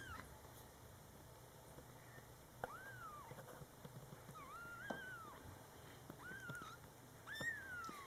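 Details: Mother cat with her very young kittens, indoors during their first month; a series of thin, high kitten mews, each arching up and then down, heard about every second or two against quiet room hiss.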